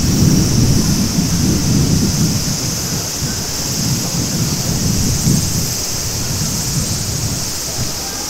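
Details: Cicadas keep up a steady, high shimmering drone in summer above the loud rush of a clear running spring-fed stream at Maruike Pond, Mt. Kirishima, Japan.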